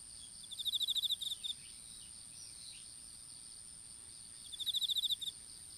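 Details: Strawberry-field insects recorded on a smartphone dropped during planting of open-field seedlings: two rapid, evenly pulsed high trills about four seconds apart, each roughly half a second of quick beats, with a continuous piercing whine throughout.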